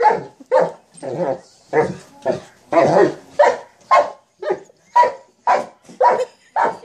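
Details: A mastiff at play with a sock monkey jack-in-the-box gives rapid repeated barks, roughly fourteen in under seven seconds, some rougher and growly, evenly paced with short pauses between.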